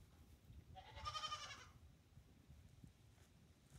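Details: A single short, quavering bleat rises out of a low barn hum; Nigerian Dwarf goats share the stall with Hector, a two-day-old kid, and his protective mother Amelia Earhart.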